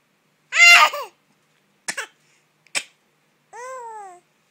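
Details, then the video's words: Gerald, a pet cat, sneezing because of ashes in the air: a brief harmonic chirp, then two sharp noisy sneezes about a second apart, followed by a drawn-out, gently falling meow. "Cute Gerald sneezes loud and learns to kitty talk."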